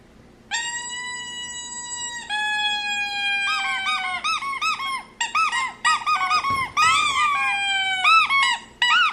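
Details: Reacting indoors to other dogs whining and to loud noises, a dog lets out long, level, nasal whines that break into quick arched whimpers rising and falling in pitch, loud and close.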